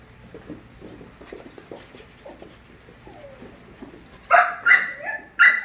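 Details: Five-month-old puppies playing together: quiet snuffling and whines at first, then a burst of loud, high-pitched yapping barks, four in quick succession.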